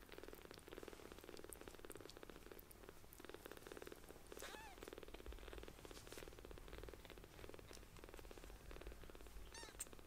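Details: Newly rescued, palm-sized kittens purr loudly and steadily while being affectionate and sucking on fingers; continuous pulsing purr runs throughout, with a couple of brief high mews midway and at the end.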